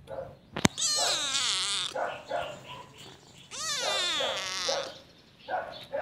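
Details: Loud, drawn-out meows of a domestic cat used for attracting cats, two long wavering harmonic calls with a click at the start and softer mews trailing between and after them.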